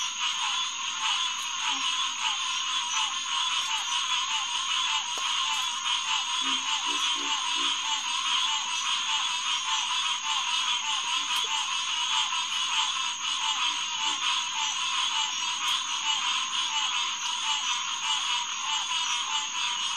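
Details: Green tree frogs (Hyla cinerea) in a dense night chorus at Headquarters Pond, SMNWR, June 2, 2021, 9:10 pm. Overlapping nasal honks with stacked harmonics pulse continuously, a steady high whine runs above, and faint low grunts occur now and then.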